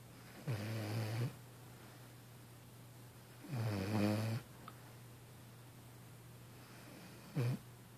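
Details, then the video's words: A tired 6-month-old female Vizsla, worn out after a beach workout in Brigantine, New Jersey, snores in deep, rattling breaths spaced a few seconds apart over a steady low hum. "Vizsla snoring"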